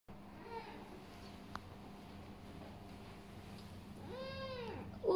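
A kitten gives a faint early mew, then a clear, high, arching meow that rises and falls.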